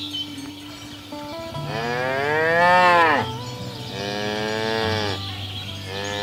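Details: Cattle herded through a rice field ditch toward their farm pen: one loud, rising-then-falling moo peaking near three seconds, followed by a second, slightly softer moo, with a faint shorter call closing out.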